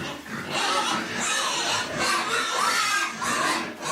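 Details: A litter of newborn piglets squeals in a continuous, high, wavering chorus of shrill cries with grunty undertones.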